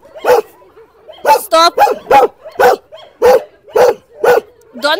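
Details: Dogs in a dog shelter; a run of about nine sharp, repeated barks, some with a whining, tonal edge, roughly every half second, while a woman repeatedly calls out "Stop!" over them.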